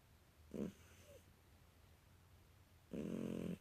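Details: British Shorthair kitten snoring while asleep: a brief low nasal rasp, then after a pause of over two seconds a longer, steady, buzzy snore in a quiet indoor room.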